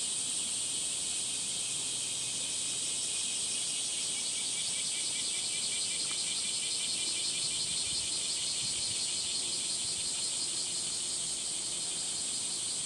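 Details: Cicadas calling on a 37°C summer morning, 23 July 2026, along a footpath through dappled sunlight in Gifu Prefectural Centennial Park, Japan: a dense, steady high buzzing drone with a fast pulsing shimmer, unbroken throughout.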